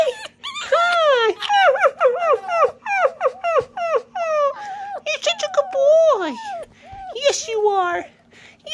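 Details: Fawzi, a pet Rüppell's sand fox, vocalising indoors to its owner, who praises it as a good boy: a rapid run of high, squeaky, whining chirps, each bending up then sliding down, tumbling over one another, with a steady low electrical hum.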